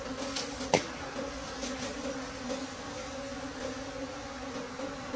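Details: Late-season harvest of dark honeycomb from a wild bee nest deep in the forest; the bees keep up a continuous buzzing drone, with one sharp snap early on and light crackling behind.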